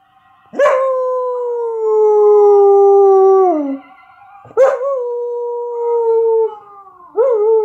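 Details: Female Samoyed howling along to a recording of her own howls: three long, smooth, tonal howls that start with a sharp rise, hold steady, then slide gently downward, separated by short pauses.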